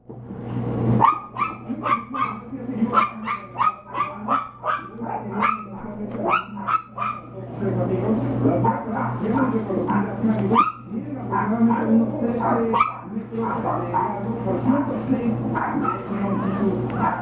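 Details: Chihuahua and Yorkshire Terrier puppies, one white male and one blue female Chihuahua plus two male Yorkies, giving rapid high yips and squeaky barks in a quick series, later blurring into continuous whining over a steady background hum.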